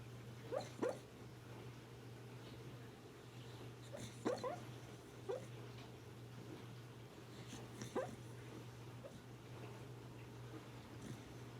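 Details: Sleeping dog whimpering in a dream, short high rising whines at irregular intervals of a few seconds, four main bursts, over a constant low electrical hum.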